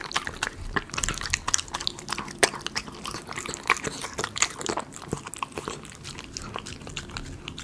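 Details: A Miniature Schnauzer crunches through premium chicken pot pie dog food. Dense, bright crunching and sharp biting clicks come several times a second, steady throughout, with no other sounds standing out.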